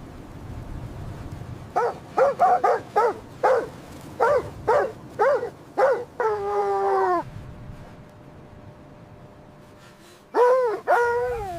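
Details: Dogs at play in fresh white snow, puppies with their mother. About ten short, bright yips come in a fast, uneven burst, then a drawn-out falling whine, a quiet gap, and one more whine near the end.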